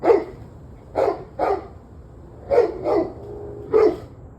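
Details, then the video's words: Dog barking, recorded 21 November 2023 at 7:06 pm: six loud, sharp barks in under five seconds, some paired closely, over a low steady hum. "Barking Dogs"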